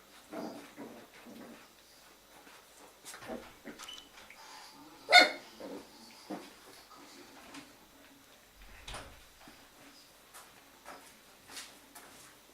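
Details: Jack Russell Terrier puppies from FCI litter A, kept in a breeding kennel, romping during an evening play session; soft rough growls and snuffles, one sharp high yelp midway, scattered thumps and rustling, all fairly quiet.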